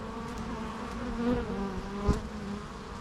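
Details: Bee buzzing steadily, a low droning hum with layered harmonics, individual fly-bys swelling briefly near 1.3 and 2.1 seconds over a continuous swarm-like background.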